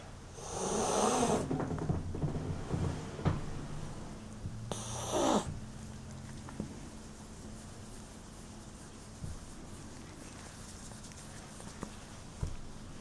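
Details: Foster cat at a cat shelter in Western Australia, hissing as a bluff then quickly calming to purr: two sharp breathy hisses early on, followed by a soft continuous low purr with faint handling noises.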